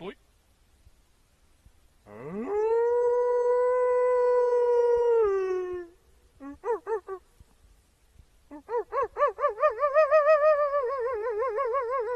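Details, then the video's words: Wolf howl rising sharply into a sustained clear note that slides down and fades, followed by a few short pulsing yelps and then a long quavering, wobbling howl held to the end; otherwise quiet background. "Wolves Howling for Dog"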